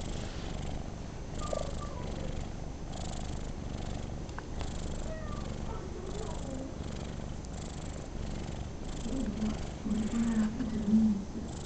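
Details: Domestic cat Rocco enjoying a pat, purring in a continuous low throbbing rumble, with a brief higher tonal note near the end and quiet indoor background.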